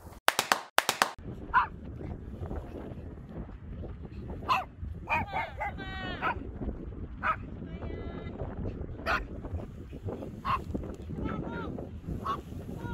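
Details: Pet dog Sugar on a windy walk, let off the leash at Songdo Moonlight Festival Park, Incheon, South Korea, 21 March 2021: a quick burst of sharp barks opens, then scattered high whining yips among human voices and gusting wind.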